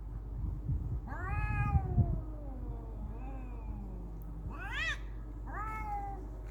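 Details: Fighting cats trading wavering yowls and a sharp rising-falling cry near the end, several harmonic wails in quick succession over a low constant background rumble.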